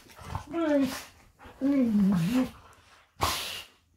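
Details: Golden retrievers play fighting in bed give wavering, moaning vocalizations: a drawn-out bending groan, a longer one that dips and rises, then a short harsh burst at the end, indoors with little background sound.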